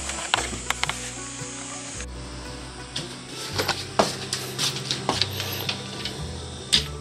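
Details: Background music over indoor clatter and soft tapping sounds, with no animal calls.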